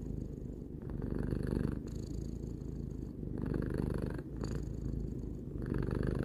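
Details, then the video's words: Steady low purr from Tarou, a cat aged three, rising and falling in long breath-length waves, each swell lasting a second or more before a short pause. "Cat purring"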